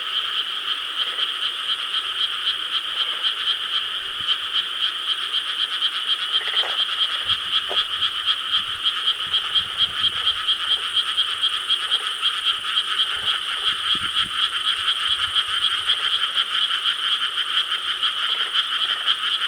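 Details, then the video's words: Korean rice-paddy frogs heard at night on 4 July 2013, a sustained massed chorus of rapid pulsing croaks running unbroken throughout, with a few scattered low knocks and clicks midway. "여름 밤 개구리 합창 Chorus of frogs croaking in rice paddies of Korea"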